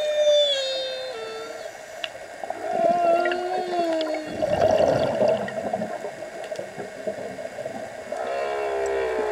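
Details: Humpback whale song captured underwater on a dive: sliding whistled moans falling in pitch, a lower descending tone, a burst of rough bubbly noise midway, then a rising upsweep with rich overtones.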